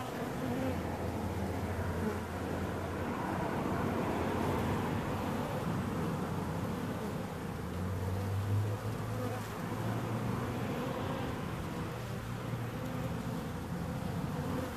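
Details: Dense, continuous buzzing of bees, a low hum whose pitch drifts and wavers, with shifting tonal patches rising above the steady rough drone.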